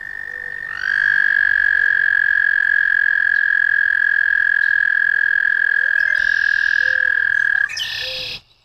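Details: American toad trilling: a long, level, ringing trill starts after a second, sweeps slightly up at onset, holds unbroken for about seven seconds, then stops abruptly; faint short chirps from other callers sound lower in the background.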